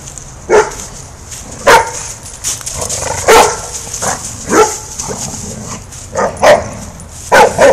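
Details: Rough-play barking in a backyard from five-month-old English Mastiff Rufus and his sister Chica, aged three; sharp single barks about every second or so, interspersed with softer yips over a constant high-pitched background hum.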